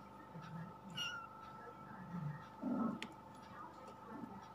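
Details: Indonesian village kittens, twenty days old, from a litter of four (two plain white, two black-and-white) born 31 August 2020 in a house attic. A brief, thin, high mew sounds near the start, followed by soft low shuffling over a steady electrical hum.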